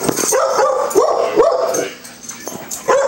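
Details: Puppy playing and running with big dogs, giving a series of high, whiny yips and yelps with rising-falling pitch, about two or three per second, then a short pause and one more yip.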